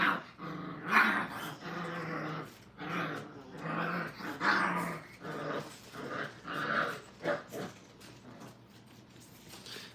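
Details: Five-week-old Brittany puppies in crate training, with two dominant pups together. Rough growling bursts and high yips come in quick, uneven volleys about once a second, rising and falling over ten seconds, then fading near the end.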